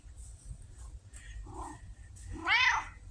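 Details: Pumpkin, a vocal female red tabby living in a house, October 2023: a short soft chirp, then one loud, drawn-out meow that swells and falls in pitch near the end.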